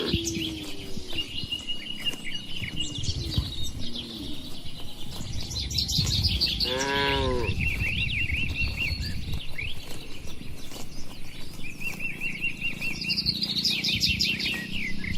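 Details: Dozens of tame cattle in a spacious farm pen; a single drawn-out, harmonic-rich moo of about a second rises midway, while small birds chirp and twitter steadily throughout over a low rumble of background noise.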